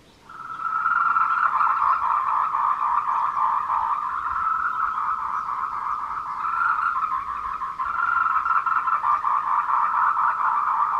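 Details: Tree frogs in courtship chorus on the Meiling Wulong trail, Nanxi, Tainan, Taiwan, at 14:00 on 26 April 2018, Canon PowerShot SX720HS: a steady, continuous rapid pulsing croak rising in quickly and holding throughout.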